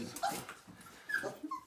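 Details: Siberian Husky puppy, five weeks old, one of a litter of nine, during its first bath indoors: a few short, thin, high whimpers and brief whines in quick succession, with quiet pauses between them.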